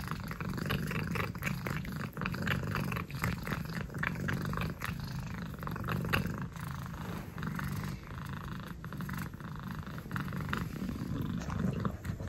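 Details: An orange cat named Saffron purrs in a low, even rumble while licking the air, the rhythmic purr broken by soft smacking licks.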